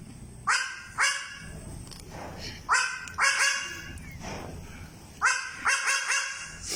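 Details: Young goat in the Philippines barking like a dog: clipped, harmonic yelps in pairs and triplets, roughly every second or two, with faint background noise between bursts.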